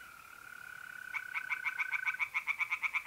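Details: By night in mid April in north-east Italy, a smooth, steady mole cricket trill gives way to a run of sharp, evenly repeated croaking pulses from pond tree frogs.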